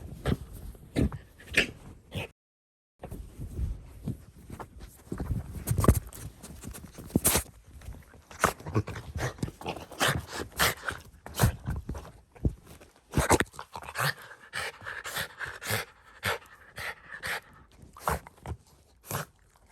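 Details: Shiba Inu Ranmaru, having just come home, speeds happily around a blanket concealing his sister, unseen for three months; scrabbling paws and clicks, with a drawn-out whining tone in the later seconds.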